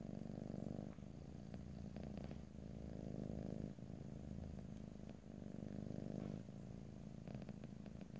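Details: Domestic cat purring in stereo, recorded ear to ear with no talking: a continuous low rumbling purr that swells and fades in long breath cycles, with occasional faint clicks and rustles.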